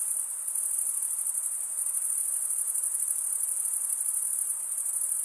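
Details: Crickets chirp nonstop by scraping wing against toothed wing, giving a thin, high, rapidly pulsing trill at steady volume, a faint hiss underneath and no competing sounds.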